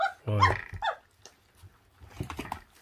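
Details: Feral pup, 26 days old, feeding on raw food, lets out one loud, harsh growling bark near the start, followed by quiet chewing and a few smaller mouth sounds.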